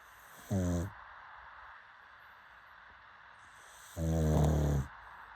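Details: Pug dog snoring: two short, low rumbling snore bursts, the second longer, separated by about three seconds of quiet breathing.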